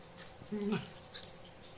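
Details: Chihuahua puppy play-fighting with a Japanese dog, giving a short whimpering yelp with two steady tonal bands, then a faint squeak in a quiet indoor room.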